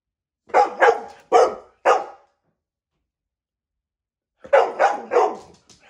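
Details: Four rapid dog barks in a burst, a silent pause of over two seconds, then another quick run of three barks, all harsh and loud indoors.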